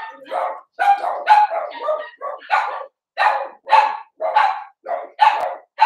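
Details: Cavalier King Charles Spaniel puppies born 06/09/2022, heard overnight on a puppy cam: loud, evenly spaced yaps, roughly two per second, each a short harmonic burst with a faint whine at its peak.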